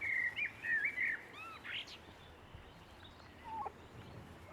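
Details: Six-week-old Boston Terrier pups whining in a series of high, sliding squeals, loudest at the opening and fading to a few softer whimpers against steady hiss.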